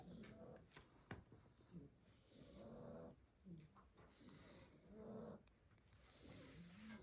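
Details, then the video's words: Blue Staffordshire Bull Terrier puppies, seven weeks old, asleep after two hours of play at a Christmas party: soft, low, wheezy snores with a faint tonal edge, rising and falling about every second and a half, with scattered small clicks and rustles. "Sleepy snoring staffy puppies"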